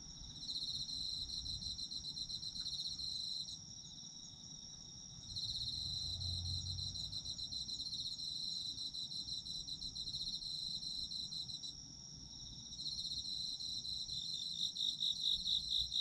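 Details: Chorus of autumn insects: high pulsed trilling that comes in bursts, pausing briefly around four and twelve seconds before resuming, over a constant ringing tone and faint low background hum.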